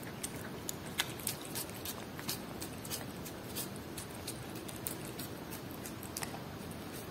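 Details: A cat eating Whiskas salmon, with steady crunchy chewing made of sharp, irregular clicks and bites, several each second, over a soft constant hiss.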